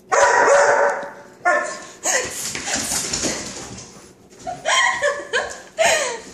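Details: Five-month-old chocolate Lab Coco reacts to non-stick spray, whose "chhht" sound he hates, with bright, strained barks and yelps in clusters, some rising in pitch, over a continuous noisy backdrop with human squealing.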